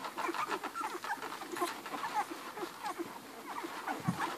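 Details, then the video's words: A litter of eleven hungry Irish Red and White Setter puppies feeding on their mother Ruby. Small squeals and chirpy whines rise over steady wet suckling and shuffling, with a short louder grunt near the end. "11 hungry irish red and white setter puppies nursing"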